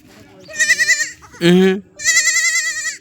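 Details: Goat crying out while being caught by a boy: wavering, tremulous bleats, a loud lower cry in the middle, then a long quavering bleat, with a man's voice speaking underneath.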